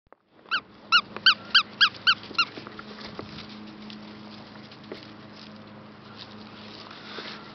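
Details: Rescue puppies, 9 weeks old, Plott hound and Labrador mix; a rapid series of about eight high, squeaky yelps in the first two and a half seconds, followed by a steady background hum.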